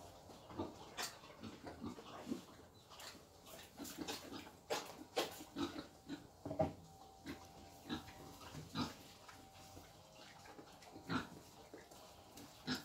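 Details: Wild boar being taken for mating in Vietnam, giving short, low grunts and snorts at irregular intervals, mixed with sharp clicks and knocking noises.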